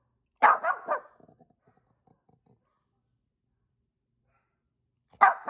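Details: Pet dog Angel in Vancouver, Canada, answering neighbouring dogs with loud barks: a sharp double bark followed by faint ticking sounds, a long quiet gap, then another abrupt bark at the end.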